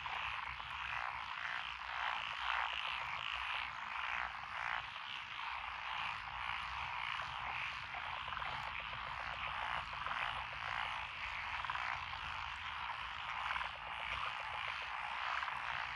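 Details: Frogs of several kinds, including tree frogs and pond frogs, chorusing in lotus paddies near a rural road in Echizen, Fukui Prefecture, Japan, on 12 June 2021; busy overlapping croaks and chattering trills run on without a break.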